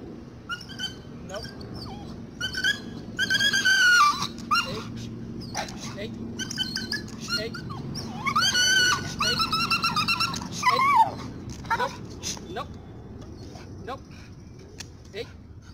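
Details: Dragon, an American Pit Bull Terrier, during obedience and command training, gives bursts of high, drawn-out whining yelps, some bending upward, in clusters around every few seconds, separated by short clicks over a steady low background rumble.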